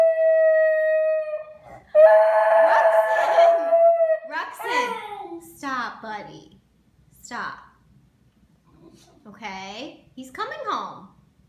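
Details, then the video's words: A Basenji howls in long tonal wails breaking into sliding, yodel-like falling notes, missing his owner who left the house, howling until consoled at home. "Broken-hearted Basenji"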